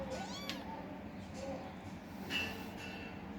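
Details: Kittens fighting for food, giving a couple of arched, harmonic meows early on and a higher thin mew near the end over steady background hum.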